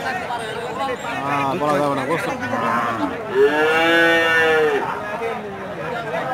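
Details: Among many cows, a strong, arched moo of about a second and a half rings out after a stretch of mixed voices and lowing, with men talking through the scene.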